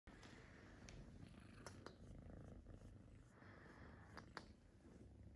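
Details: Kitten purring loudly while getting a massage: a steady, low rumbling purr runs throughout, with soft rubbing and swishing sounds from the massage and a few brief clicks.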